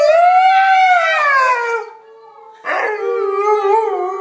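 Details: A pack of household dogs howling in chorus, a long smooth howl sliding down in pitch, a brief near-silent gap, then a fresh wavering howl with overlapping voices.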